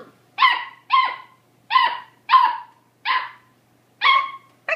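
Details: Beagles at play in a barn: a loud, clear run of sharp barks, one roughly every half second, each bark bright and slightly ringing, with silence between.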